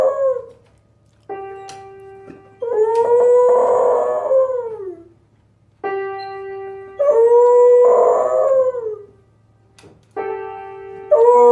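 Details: A dog singing along with a piano: long tonal howls that swell and then slide downward, alternating with steady piano chords about every few seconds, loud and clear.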